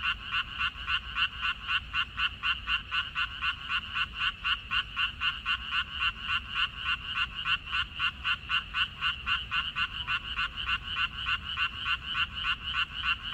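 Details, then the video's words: A chorus of frogs from a water-parsley field on 14 May 2021: a continuous run of quick, harsh croaking pulses, several per second and blending together, over a faint low hum. "고향 생각 나게 해주는 개구리 소리, 미나리밭의 그놈들, Croaks of Frogs, Sounds of frogs, Song of frogs"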